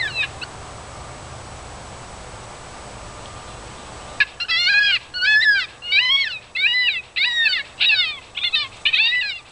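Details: Gray fox called in with an electronic caller to a yard, drawn by a fox-kit-in-distress sound: loud, arched, harmonic yelps about every half second after a quiet, hissy start; a person shouts "Get!" at the end.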